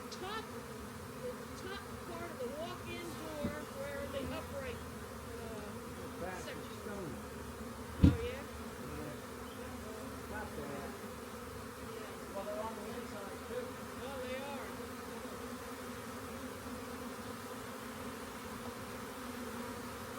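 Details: Swarm of honey bees found near a rain gauge and being collected from a walk-in door, giving a steady, dense droning hum with no pauses, a sharp knock midway and faint voices in the background.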